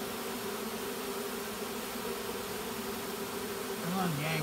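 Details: Honey bees of a caught swarm marching into their new hive; constant thick droning hum, ending with a man's voice speaking over the buzz.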